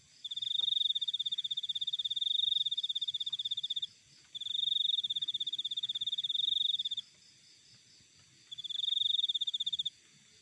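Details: Cricket recorded in nature: three long, high, rapidly pulsed trills, each lasting about three seconds, separated by short pauses of silence, with faint low rumbling underneath.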